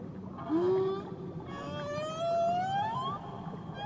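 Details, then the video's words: Whale singing near Tahiti: two smooth upward-sliding moans, the first short and low, the second a long glide climbing steadily higher, over a soft watery rumble. "Nature Sounds Only Whales & Beaches"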